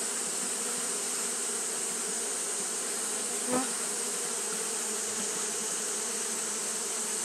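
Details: Constant hum of Japanese honey bees fanning through a hot day, low drone layered under a sharp high hiss, with a single brief click near the middle.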